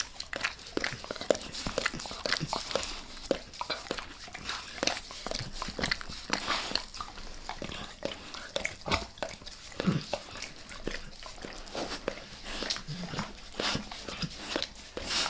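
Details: Max the dog keeps licking his owner's face for a long stretch, a dense run of wet slurping clicks and smacks, some louder, in uneven quick succession.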